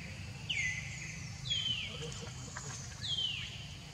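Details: Baby monkey Leo, hungry and crying as it begs its mother for milk: three high, thin whistled cries, each sliding steeply downward, spaced about a second apart, over a low background rumble.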